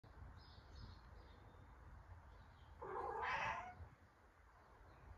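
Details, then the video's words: Cat meowing to be let outside; a single drawn-out, wavering meow of under a second against a quiet, slightly noisy indoor background. "Cat Meowing To Go Outside"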